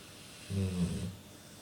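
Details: Female household dog snoring while awake, though she mostly snores when sleeping; a short, deep, buzzy snore of about half a second, slightly rising then easing off, with quiet background hiss.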